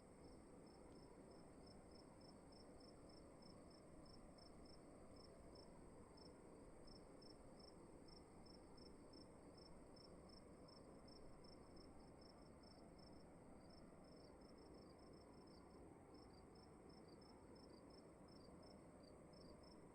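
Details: Crickets in a quiet room, giving a steady run of high, short chirps at about two per second, with small gaps, over a low, constant hum of room noise.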